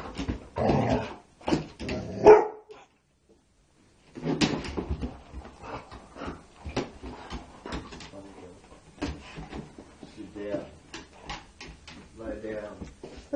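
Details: Bella, a Labrador Retriever indoors at midnight, barks because she wants to play ball: two loud, sharp barks in the first seconds, a brief silence, then a run of softer, quick yipping and whimpering sounds.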